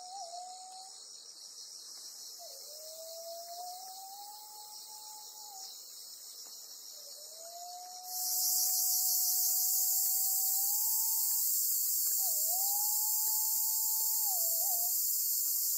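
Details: Black cicada caught by a golden-web spider on Amami Oshima, Japan, bursting into a loud, harsh, continuous hissing buzz halfway through, after a stretch of faint insect hum and slow low whistles.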